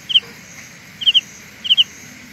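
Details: Carolina ground cricket producing a sound illusion: three short clusters of two or three high, metallic pulses, spaced about seven tenths of a second apart, against a quiet steady background hiss.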